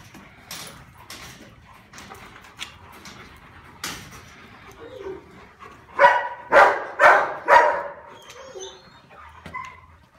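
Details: Male Rottweiler, dated December 16, with faint scattered barks at first, then a run of four loud, evenly spaced barks about half a second apart, then quiet.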